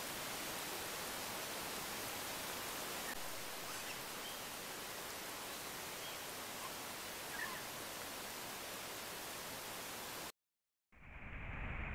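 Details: Steady broadband hiss like rushing water or wind, with a brief dropout near the end and no animal calls.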